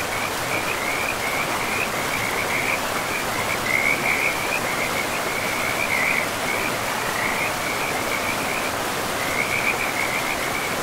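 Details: Forest river frogs form an unbroken high-pitched trilling chorus, swelling and fading in short waves, while the river's steady hiss of running water fills the background throughout.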